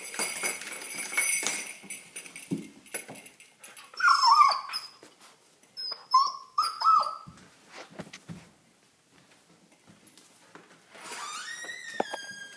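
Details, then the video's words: A Chesapeake Bay Retriever puppy wanting to go outside whines in high, wavering squeals, with two clear bursts around the middle and a rising, drawn-out whine at the end, over soft indoor rustling. "Chessie wants to go out"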